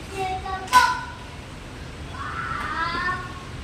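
A Siberian Husky gives drawn-out, speech-like whining howls with a sharp yelp in between.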